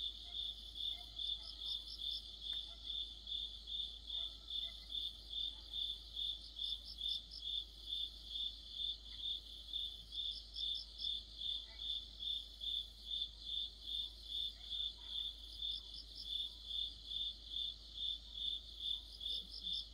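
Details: Crickets and companion insects singing together in mid-autumn: a rapid, steady train of high chirps throughout, joined every few seconds by a second insect's short bursts of higher, buzzy trilling, with faint clicks and low hum.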